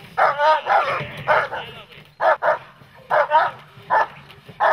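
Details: Protection training with a German Shepherd or Malinois type dog: short, sharp barks in pairs and singles, spaced irregularly, with human voices mixed in.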